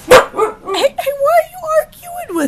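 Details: Arguing with her owner, Ankita the husky, a nearly one-year-old female, lets out a sharp yelp, then a sustained, wavering, wailing 'talk' holding steady in pitch with small dips, alongside the owner's raised voice.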